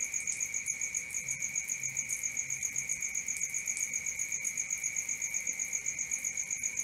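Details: Crickets at night, a dense, steady high-pitched chirping with rapid even pulses, about four per second, over a continuous lower shrill tone; no other sounds.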